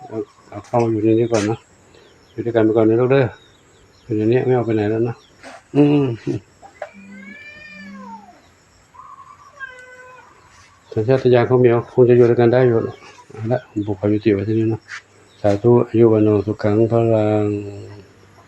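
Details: A stray kitten that arrived alone and became a temple cat at Wat Pong Chai, Chae Hom, Lampang, Thailand, gives a clear arching meow with a short follow-up between long stretches of human speech.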